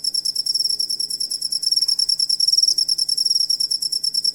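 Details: Cricket chirping, a recording made as master audio for training songbirds; dense, high, pulsed trills repeated in rapid rhythmic bursts, with a steady low hum underneath.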